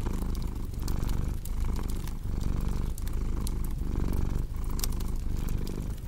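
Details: Domestic cat purring in a deep, steady low rumble that swells and dips with each breath about every three-quarters of a second, layered over the sharp pops and snaps of a crackling fireplace.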